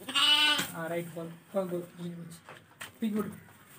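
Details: Young lambs for sale: one strong wavering bleat opens, followed by shorter, softer bleats and murmuring human voices in the background.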